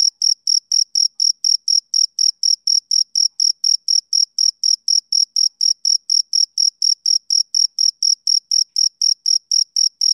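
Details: High, piercing pulses from a male cricket repeat rapidly and evenly, near four each second. The sharp chirps carry a weaker overtone above them, and no other noise is heard.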